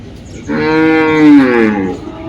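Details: A cow lowing at the Dhaniakhali cattle market, a weekly Friday sale: a single sustained, rich moo lasting about one and a half seconds, swelling slightly and then sliding down, with little other noise.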